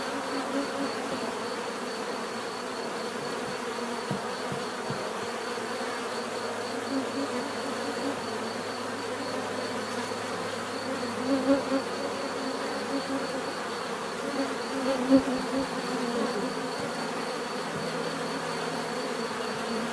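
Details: Long stretch of steady bee hum, a mass of overlapping buzzing with occasional louder flybys around the middle, the drone never pausing.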